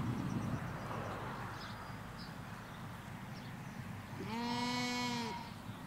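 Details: Ewes and lambs grazing in a Hampshire field, recorded from a hedge: after four seconds of low road rumble and faint birds, a single loud, steady, harmonic bleat lasting about a second.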